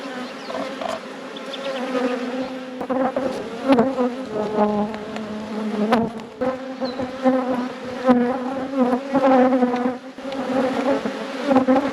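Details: Buzzing from a honey bee colony as hives in an apiary are opened and inspected; a continuous low hum with rich overtones that swells and fades, broken by soft clicks and knocks of hive handling.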